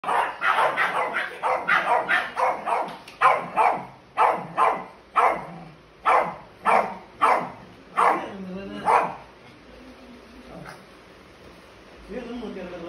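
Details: Pekingese (Canis familiaris), growls and barks: aggression during a fight.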